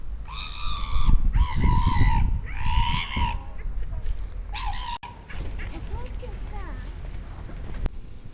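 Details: Pit bull making odd vocal sounds, recorded secretly on a sound recorder. Drawn-out, nasal, honking whines come in a few long bursts in the first five seconds, over heavy low rumbling background noise, then fade to softer murmurs.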